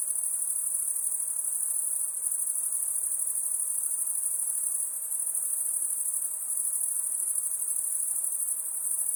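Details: Night chorus of crickets: an unbroken, shrill, pulsing trill sitting very high, steady in loudness from start to end, over a soft hiss with nothing else heard.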